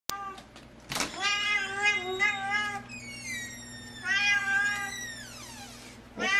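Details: Young, healthy male chocolate point Persian cat, described as loving and friendly and up for adoption, gives long, wavering, drawn-out meows, one sliding downward at the end, over a low steady hum indoors.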